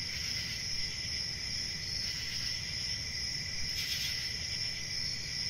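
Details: An unbroken high cricket chorus rings steadily, with quick pulsed chirps and one louder burst near the end, set against a low background rumble.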